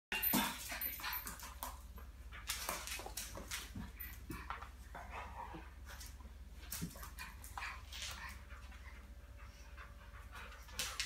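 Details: An 11-week-old female Boston Terrier puppy on a rural farm in France gives short yips, whines and scuffling grunts in bursts while playing rough with a Rottweiler, then runs off.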